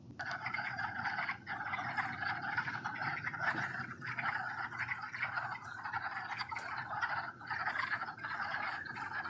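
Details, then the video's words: Breeding wood frogs in a vernal pool in Mohican State Park, Ohio, in early March: a dense chorus of rough, duck-like clucks overlapping into a steady chattering roar. "here is a short clip of wood frogs calling from a vernal pool in mohican state park"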